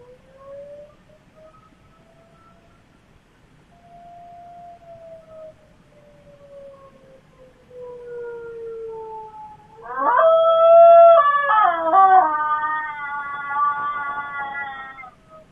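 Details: Pet Miniature Schnauzer named Chloe reacting to tornado sirens. A slow rising and falling siren wail fills the first ten seconds, then her loud, trembling howl bursts in, warbling unevenly over the siren until the end.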